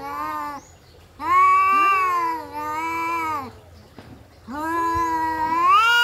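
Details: Two domestic cats in a fight, drawn-out wailing yowls in three loud bursts, the middle one longest, the last rising in pitch toward the end.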